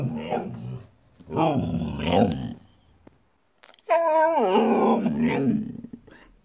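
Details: Siberian Husky vocalizing in two rough, growly grumbles, then a clear, tonal moan that falls in pitch and trails off into a gravelly tail.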